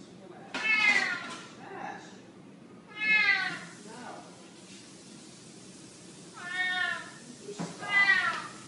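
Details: Black kitten meowing indoors, four high, bright meows, each under a second, spaced across about eight seconds with short gaps, the third and fourth close together.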